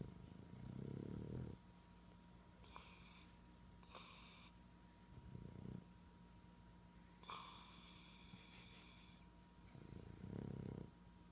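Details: A Boston terrier lying stretched out and snuggled in, with his belly being scratched and possibly awake, snores in deep, rattling, throaty bursts a few seconds apart. Quieter snuffly breaths come between, over a faint steady hum.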